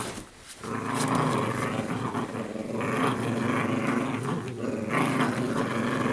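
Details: Italian Greyhound females playing with each other in normal everyday roughhousing: a continuous harsh, throaty growl with rapid rattling pulses and louder snarling swells, sustained almost throughout.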